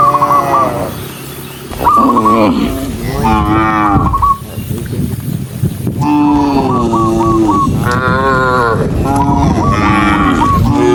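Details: Dozens of cows running along a rural road give repeated overlapping moos, some rising and falling, several animals calling close together, while rapid high whistled chirps come in short bursts between them.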